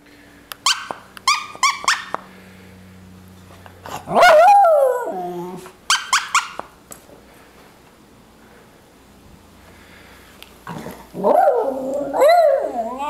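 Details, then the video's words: A Miniature Schnauzer playing with a puppet gives wavering, mid-pitched howls that rise and fall, with short squeaks and clicks before them. "Miniature Schnauzer howling,playing"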